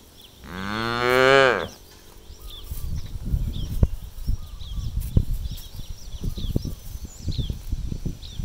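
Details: Cows released onto an empty rice field to eat grass and roam; one loud, rising then falling harmonic moo lasting over a second, followed by grazing and trampling noises and faint bird chirps.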